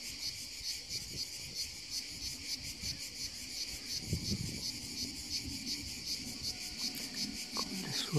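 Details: Summer cicada on the hills produces a steady high rasping drone in regular pulses, roughly three per second, while low thumps and rustling of handling sound underneath.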